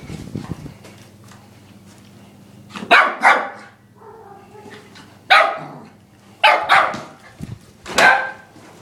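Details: Lhasa Apso x Maltese dog of ten months yapping at a vacuum cleaner, recorded handheld on an iPod; loud high barks in pairs and singles, about six in all, with the vacuum's constant low hum beneath.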